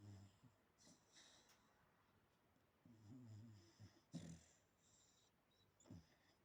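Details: Dog asleep indoors, snoring with low rattling breaths, a few soft huffs and one brief sharper yap-like sound in the middle.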